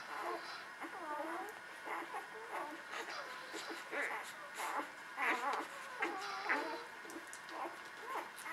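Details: Nursing newborn puppies, Beretta Jericho litter, give repeated arched whimpers: high cries that rise then drop, coming roughly every half second from several pups, getting louder and busier toward the middle of the recording.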